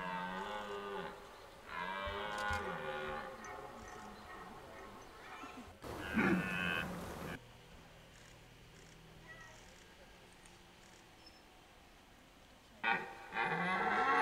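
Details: Red deer in rut at Hoge Veluwe park, 2023: a pair of short, deep groaning roars at the start, a burst of rustling noise, a long quiet stretch of faint background, then another roar begins at the end.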